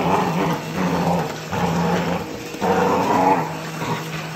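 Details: Border Collie growling while attacking a vacuum cleaner indoors: a continuous rough, rumbling growl rising and falling in surges about every second, over the steady hum of the running vacuum.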